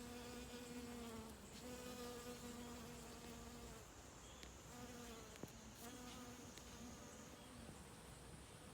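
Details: Worker honey bees gathering nectar from mountain hydrangea flowers. A low hum with overtones, slightly wavering in pitch, comes in repeated passes that fade after about four seconds and then return more faintly. A high, whining insect hiss continues throughout.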